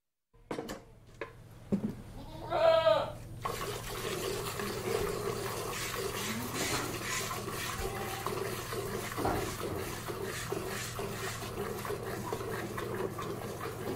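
A goat gives one short, wavering bleat, followed by steady rhythmic squirting and splashing of milk.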